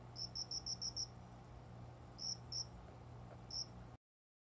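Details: Cricket chirping near a window in a small indoor plant corner at about five in the morning, summer. A quick run of six high pulses comes first, then scattered single and double chirps over a faint low hum, before the sound cuts out.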